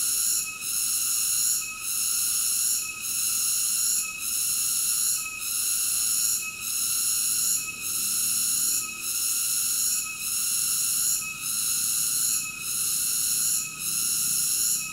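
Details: A cicada's loud, continuous metallic buzz, high and rich in ringing overtones, pulsing with short dips about once every 1.2 seconds across the whole stretch, nothing else clearly heard.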